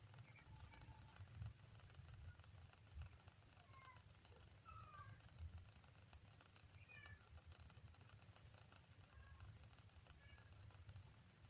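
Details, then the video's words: Faint, rapid series of thin kitten mews, some rising and falling, several close together mid-clip, set against a low rumbling hum with occasional soft knocks. "kitten funny sound"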